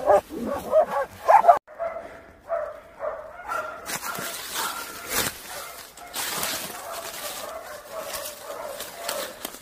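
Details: Laika hunting dog on a wild boar hunt for African swine fever control; a burst of quick barks, then steady repeated barking with whining tones, amid broadband outdoor noise and rustling.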